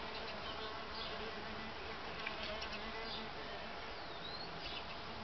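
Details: Solitary bees busy with lots of activity, no mating seen: a steady, dense droning hum of many overlapping buzzes, with low humming bands throughout and a faint high chirp near the end.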